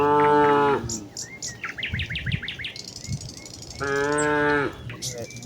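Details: Village cattle herd walking toward the fields on a green leafy path in the morning, calling to each other: two long harmonic moos, one at the start and one near the end, with thin chirping from small birds or insects between them.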